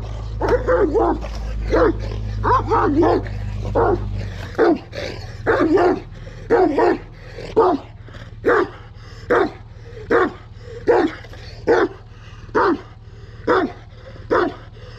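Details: Aggressive Kangal dog barking hard and fast at first over a loud low rumble, then settling into single harsh barks repeated about once a second.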